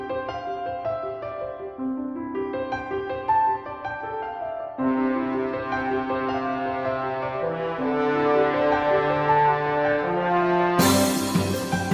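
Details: Instrumental music with warm brass tones over piano chords, building steadily in loudness and ending in a bright, full burst; no animal voice can be picked out.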